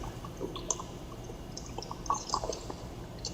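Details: Dripping and trickling water with scattered soft clicks and squishing sounds over a low hum, with no animal voice heard.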